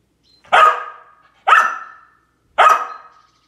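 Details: Samoyed barking while chasing squirrels: three loud, sharp barks about a second apart, each with a slowly fading tail, against a silent background.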